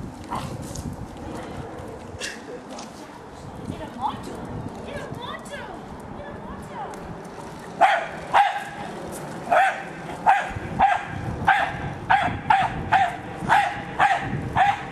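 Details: Hali, a pet Jack Russell Terrier, attacking a remote-controlled car: after half the clip of indistinct talking and background noise, about a dozen sharp, clipped barks start up, repeated roughly every half second.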